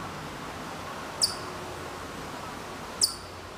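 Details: Hokkaido chipmunk far off in Maruyama, Sapporo, Hokkaido, in September 2014: two short, shrill, high chips with a quick downward slide, nearly two seconds apart, over soft outdoor noise.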